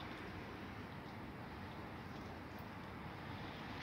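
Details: Steady broadband outdoor hiss and low rumble, like wind or distant traffic, without any animal sound.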